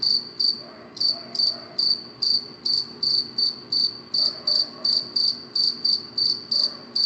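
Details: Night-time cricket chirps, high and shrill, repeated steadily about two to three times per second in a regular pulsing rhythm, with a soft low hum underneath.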